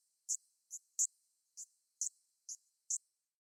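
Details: Platypleura kaempferi, the Kaempfer cicada, in its modulated song: seven brief, high, scratchy buzz bursts spaced roughly every half second against a silent background.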